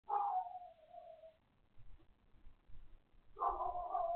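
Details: Neighbouring dog barking next door, back at it again: two drawn-out, tonal barks with a wavering pitch, separated by about two seconds of quiet, low rumbling background.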